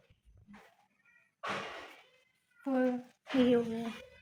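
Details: Pet cat Mio, ill with chronic kidney disease and again passing blood in his urine despite urinary cat food, gives two drawn-out tonal meows, the second rising then falling, after a short burst of human speech.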